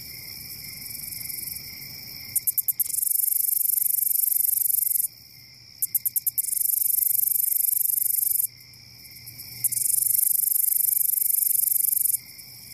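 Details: Grasshopper chirping at night: long, hissing, very high trills lasting two to three seconds, each preceded by a few quick clicking pulses and separated by short quiet gaps, over thin steady high-pitched tones.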